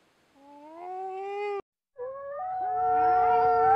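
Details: Wolf howling: a steady, slightly rising tone breaks off abruptly. A second howl begins, steps upward, and is joined by overlapping howling voices.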